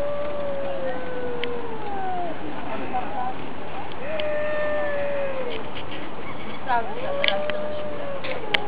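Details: Two cats in a fight: long sliding yowls that drift downward, a renewed level howl, then a quick upward-swooping wail settling into a steady tone, with occasional sharp clicks and thumps.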